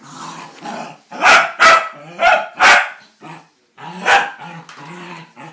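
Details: Scottish Terrier at play with a laundry basket indoors, growling steadily, then firing four fast, loud barks roughly a third of a second apart, a short silence, one more bark and renewed rumbling growls.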